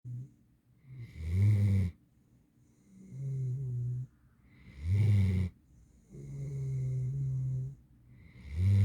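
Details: Sleeping eight-month-old female mantle Great Dane snoring: long low rumbling inhalations alternate with shorter, louder raspy snorts, each breath cycle lasting about three to four seconds, steady and unhurried.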